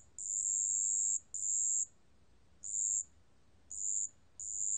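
A marsh bell cricket gives high, thin, ringing trills in bursts of about a second, with brief pauses.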